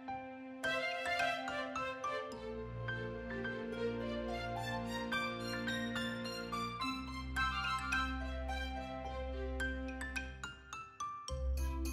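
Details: Light, chiming background music with bell-like notes over a steady bass; no animal sound is heard.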